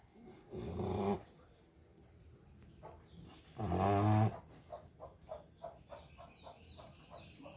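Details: A sleeping American Bully snores in two loud, rasping, low-pitched breaths about three seconds apart, each lasting under a second, with soft rhythmic ticking sounds and quiet room noise between them.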